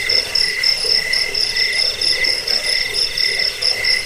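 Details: Crickets trilling steadily, used to drive off rats, help sleep and train birds; bright high-pitched pulses beating rapidly, about four per second, layered over a constant shrill ring without breaks.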